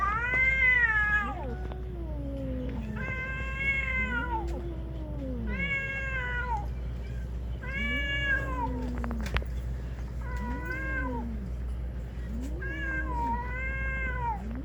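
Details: Two or more cats fighting outdoors on Aoshima, a Japanese cat island: drawn-out wavering yowls that rise and fall, repeated in bursts every couple of seconds over a steady low hum.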